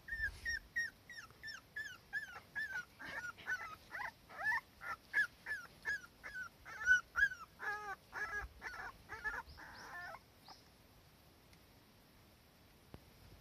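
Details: Cardigan Welsh Corgi daughter beside her mother in warm sunshine, anxious when the mother is not close by: a rapid series of high, thin whimpers and yips, each sliding downward, repeated about three times a second for ten seconds, then quiet.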